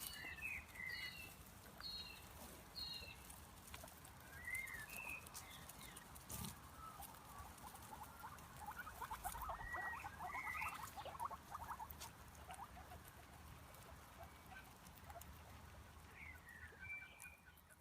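A marmot gives short, sharp whistled chirps, singly or in quick pairs, against a soft rushing background.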